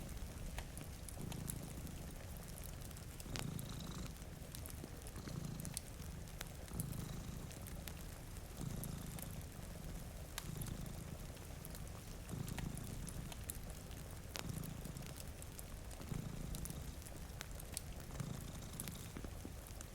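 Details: Two cats sleeping in front of a rainy window purr in low, rumbling pulses, each swelling roughly every two seconds, while steady rain patters and fire crackles sound above.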